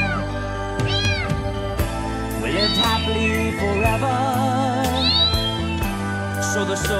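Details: Domestic cat meowing in short arched cries, first a quick pair, then a longer wavering one and another rising-falling meow near the end, heard over prominent soothing background music.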